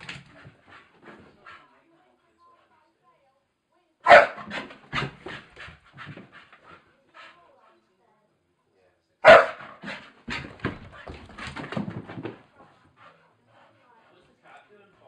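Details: A Staffordshire bull terrier playing on the stairs lets out two loud barks about five seconds apart. Each is followed by a burst of rough, breathy noise, with people talking in the background.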